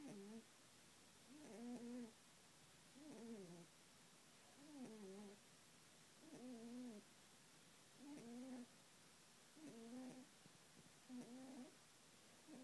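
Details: Sleeping pet rabbit snores steadily, giving eight gentle, low, buzzy breaths with a faint rising-falling contour, repeated regularly about every one and a half seconds against quiet indoor background.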